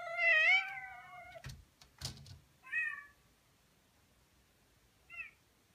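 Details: A male Persian cat gives a long, wavering meow, then two shorter meows, calling to a kitten in a video he has fallen for.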